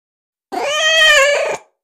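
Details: Single drawn-out meow of about one second from a female kitten, domestic cat, steady in pitch with a slight wavering rise and fall and strong harmonics; call used to attract cats.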